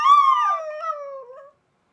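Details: Pet Chihuahua singing along as a recorder is played: one drawn-out howl that starts high, slides gently downward with a small waver, then tails off after about one and a half seconds.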